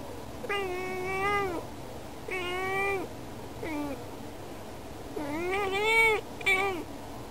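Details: Yukke, a female cat indoors, meowing at birds outside a window as if asking them to play; four drawn-out harmonic meows with wavering pitch, the last pair close together, over a quiet room.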